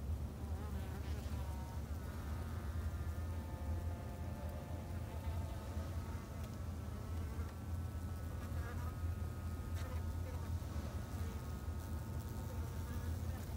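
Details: Steady colony drone from Japanese honey bees in a Japanese backyard hive, low and unbroken, with many wavering higher buzz lines as individual bees circle close throughout.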